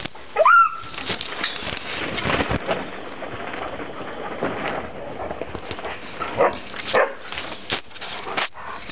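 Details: Three-week-old wolfdog pups: one short, high, wavering whine near the start, then steady rustling and shuffling with a few faint squeaks and soft thumps.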